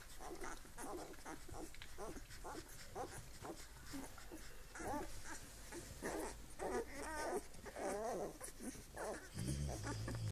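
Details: Hungarian Vizsla puppies eleven days old, whining and squealing in wavering, rising and falling bursts that grow busier midway, with a low rumble and a brief knock near the end.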